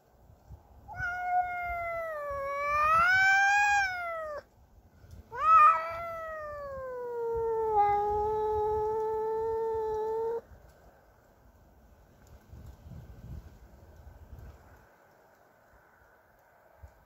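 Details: Cassey, a pet cat angry at a neighbour's cat entering her territory, gives long wavering yowls that rise and fall, with two drawn-out howls over about ten seconds, then quiet background rumble.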